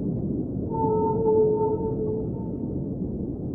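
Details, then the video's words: Underwater whale song: one long, smooth, mid-pitched moan with a clear overtone holds for about one and a half seconds, then a fainter tone trails off, set against continuous low rumbling water noise. "Underwater Whale Sounds - Ambient Soundscape | Whale Singing"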